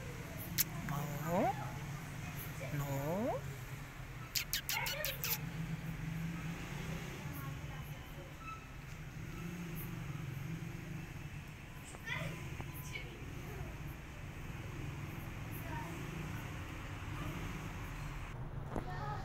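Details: Stray cat asking for food, giving two short rising meows in the first few seconds, then quiet; steady low traffic rumble and scattered clicks and taps fill the background.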